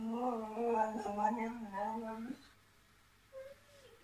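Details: Tilly the whippet answers back, always wanting the last word, with a wavering, throaty moan that rises and falls for about two seconds. A short, faint whine follows after a pause indoors.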